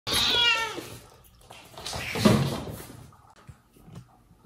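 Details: Domestic cat in a home with mother cat Jaco, her newborn kittens and foster kittens, as the dad cat punishes the mother for leaving the kittens alone; a high, harmonic meow opens, followed by a rougher, noisy burst and faint clatter.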